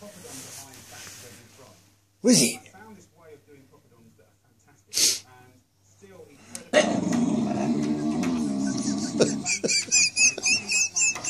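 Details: Pet Staffordshire Bull Terrier barking at a wire in a small room: two abrupt, harsh barks a few seconds apart, followed by a long noisy, rasping stretch, with a person talking throughout.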